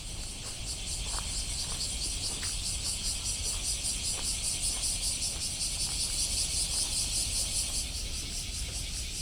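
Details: Cicadas recorded on a walk in Osaka, Japan, on 17 July 2024: a dense, high chorus buzzing steadily with a pulsing shimmer over low traffic rumble.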